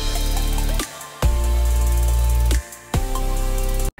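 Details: Heavy drum hits and sustained bass tones form a short musical sting, ending in a sudden cut to silence.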